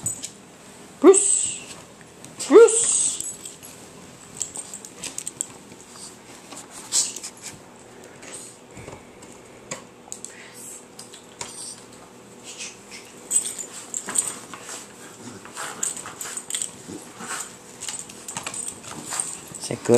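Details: Patterdale Terriers: two sharp, high yelps ring out near the start, then quieter scuffling, clicks and scattered short noises, with human voices intermittently audible.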